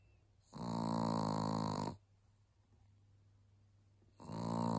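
A Chihuahua snores loudly, each long rasping breath drawn out for over a second.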